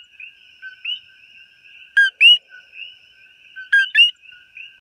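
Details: A common coqui frog in Hawaii, recorded up close, calls a loud two-note 'co-qui': a short lower note jumping to a higher whistled one.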